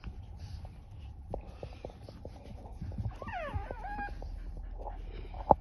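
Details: Pet Chihuahua 'talking' on 3 March 2024: soft clicks and rustling give way to a short run of wavering, whiny tonal yelps that slide up and down, then a single sharp squeak at the very end.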